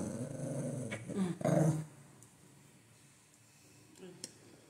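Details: Golden Retriever growling at home as it complains to its owner: a low, pulsing rumble lasting under a second, mixed with a woman speaking Kannada, then quiet room sounds.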